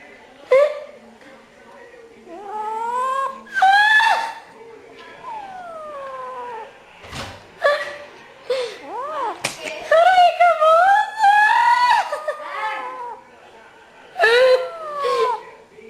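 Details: Cat giving loud, drawn-out meows with wavering, sliding pitch, several long cries in quick series and short yowls between them, in a small indoor room with a slap and faint human sounds.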